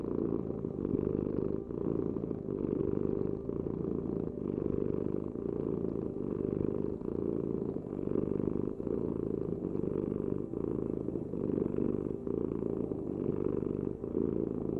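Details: Continuous purring from a cat, a deep rumbling hum that rises and falls in an even breathing rhythm of about one cycle per second and a half, heard alone in a quiet setting.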